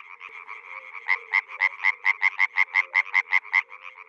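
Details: Water frog from a rice field calling in a fast, regular series of short pulsed croaks, about two to three per second, each with a strong nasal mid-pitched band, softer calls from other frogs underneath.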